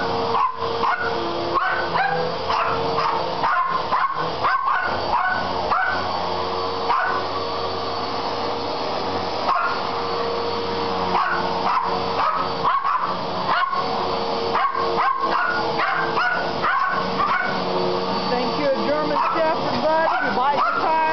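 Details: Several poodles react to a vacuum cleaner with frantic, continuous yapping: short high barks and whiny yips pile up about twice a second, the appliance's constant mechanical hum running underneath throughout.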